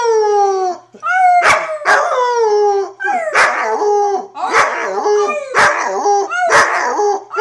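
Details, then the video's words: Luna the wolfdog, a female puppy of six to seven months recorded in 2013 while playing rough, howls in a string of falling, wavering notes mixed with harsh barking yelps, repeated roughly every second with hardly any pause. "Wolfdog Howling & Roughhousing"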